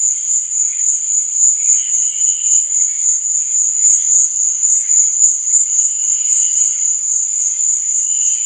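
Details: Night cricket chorus, a continuous piercing high trill that throbs rapidly in volume, over softer scattered chirps at a lower pitch.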